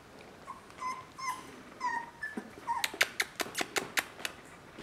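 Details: Border Collie puppies, three weeks old, give several short wavering whimpers at a steady pitch, followed by a quick run of sharp, evenly spaced taps or clicks, with background hiss throughout.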